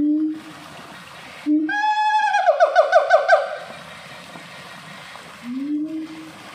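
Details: A siamang singing at a zoo in North Lombok, West Nusa Tenggara, Indonesia gives a rising whoop, then a quick run of looping, pulsing calls that climb and fall.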